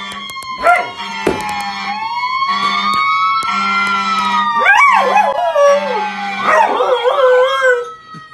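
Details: A pet Samoyed howls along to passing fire truck sirens: long drawn-out, wavering howls that rise and fall over the steady wail of the siren, with a low engine hum underneath.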